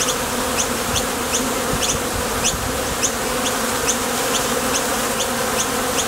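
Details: Buzzing of honey bees taking off from and landing at the entrance of a top bar hive on nectar trips: an unbroken, even wing drone with soft, regularly spaced high ticks over it.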